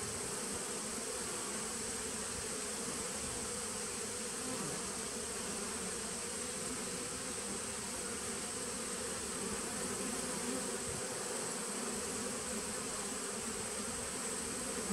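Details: Honey bees in a 2017 nucleus hive, recorded 19 September 2018, keep up a long, even drone. The low hum stays constant, with a soft hiss overhead and no other sounds.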